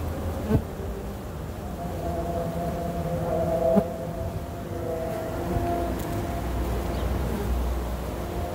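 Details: Western honey bees (Apis mellifera) at a keeper's hive hum steadily, a low droning buzz with shifting overtones as individuals fly close.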